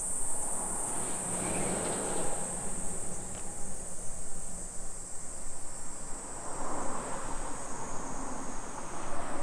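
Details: A summer cicada chorus in Nisshin city near Nagoya, Japan, mid-afternoon on 28 July 2021: a sustained piercing high whine, briefly stronger at the start, with low rumbling background noise beneath throughout.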